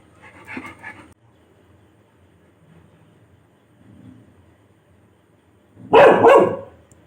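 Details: Labrador Retriever, awake and barking to keep others from sleeping; a soft bark-like sound first, then one loud broadband bark near the end, with quiet music underneath.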